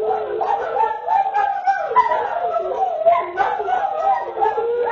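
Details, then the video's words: Greyhound "roo": a sustained, wavering howl that glides up and down in pitch, with overlapping voices suggesting several dogs rooing together, continuous over the whole stretch. "Greyhound Roofest"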